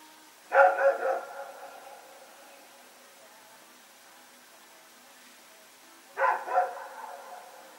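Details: Rex and another dog running around and barking during the night, Sep 21, 2018: a burst of two or three rapid barks, a long pause of about five seconds, then another short double bark.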